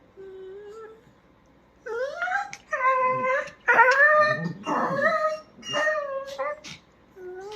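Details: Pet dachshund Kiko answering its owner with expressive, sing-song vocalising: clear tonal whines and yodel-like howls that swoop up and down, delivered in roughly one-second phrases separated by brief pauses, while a person speaks Bengali between the calls.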